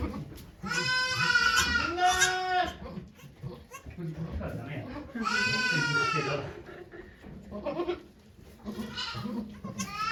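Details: Goat at Yoshigake farm, Japan, on 3 May 2023, during the doe Okayu's delivery of two kids watched by volunteers: two long, wavering, harmonic-rich bleats about three seconds apart, with people talking quietly between them.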